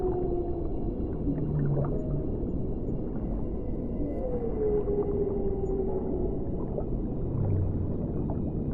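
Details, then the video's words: Underwater whale singing, a drawn-out tonal moan that rises briefly and then slides slowly downward, with shorter low groans before and after against constant bubbling water noise. "O CANTO RELAXANTE DAS BALEIAS"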